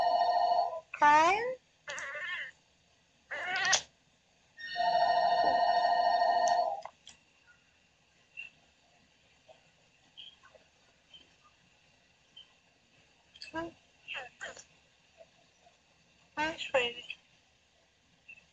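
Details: Dreaming female Oriental Shorthair cat Daisy making sleep-talk sounds: several quick bent meows and chirps, a long steady ringing tone, then faint scattered mews and clicks in a quiet stretch.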